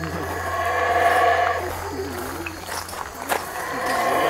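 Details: Howler monkeys give a rough, droning roar with stacked harmonic tones for about a second and a half, then the calls quieten and a few scattered sounds follow.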